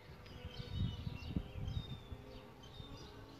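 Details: A solitary bee at its bug hotel nest hums in a short, deep, fluttering buzz that swells and fades within a few seconds, while thin bird chirps and whistles sound faintly behind.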